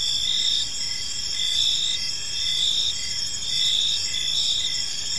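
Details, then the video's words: Evening park ambience of crickets: several high, continuous chirping bands with gentle rhythmic pulsing about once a second, steady in loudness, with a quiet low rumble underneath. "Cricket Sounds in a Peaceful Park"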